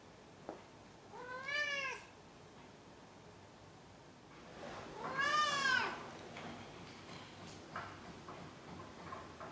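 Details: Maru, a pet cat indoors, meowing after catching a toy, as he always does before rolling onto his back: two drawn-out harmonic meows, the second longer and louder, with soft thumps and light rustling between.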